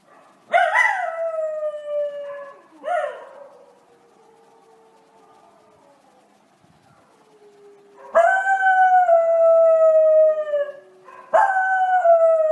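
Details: Money, a Miniature Schnauzer, howling: long sustained tones that slide gently downward, each opening with a sharp onset. A pause in the middle holds only a faint low tone, then two more strong howls follow.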